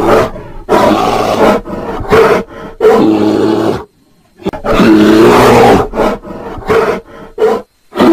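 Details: Mating bear roaring: a run of rough, throaty bursts of varied length, two longer sustained roars in the middle separated by a silent pause, then shorter choppy growls.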